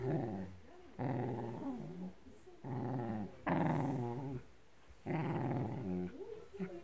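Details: Blue merle Shetland Sheepdog growling at a blanket it is attacking: low, rumbling, sustained growls in five or six long bursts of about a second each, separated by short quiet gaps, rough and throaty throughout, in a small room.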